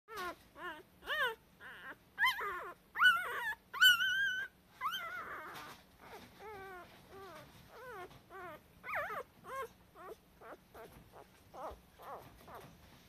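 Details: Cardigan Welsh Corgi puppy, a male, whimpering indoors: rapid series of short high whines, each rising then falling, several per second, some louder and more tonal early on, then fainter whines continuing in a steady stream.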